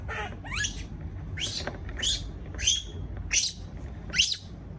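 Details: Baby monkey left on its own in a cage, calling in fear: a series of five harsh, shrill screeches, each sweeping downward, spaced about seven tenths of a second apart, over low rumbling noise.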